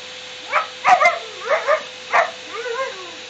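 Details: A four-month-old Siberian Husky puppy playing with a running vacuum cleaner gives short, bright, breathy yips in bursts about half a second apart, some rising into thin whines, over the vacuum's low, even drone.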